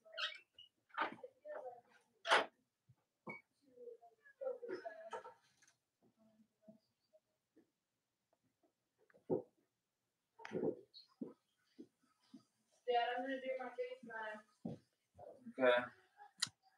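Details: Cavalier King Charles Spaniel puppies, the litters of Robin and Myra, indoors on a chilly late-October morning in the US, giving scattered short squeaks and harmonic whines with soft clicks and thumps, and a burst of overlapping cries near the end.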